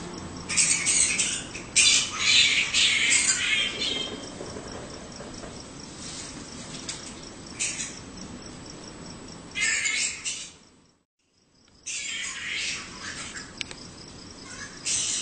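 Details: Flying foxes around a home in Australia: loud, harsh squawking volleys come in clusters with pauses and one short silent break. A rhythmic high insect pulse and soft low hum sit beneath.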